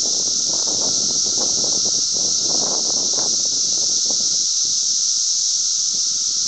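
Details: Glen Ellyn, Illinois, 10 June 2007: a loud, continuous, high sizzling cicada chorus, overlaid for the first four seconds by rough rustling or wind-like crackle that then eases, leaving the drone clearer.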